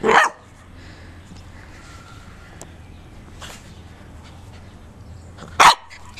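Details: A pet corgi running, giving two short sharp barks about five seconds apart with quiet background hum between them.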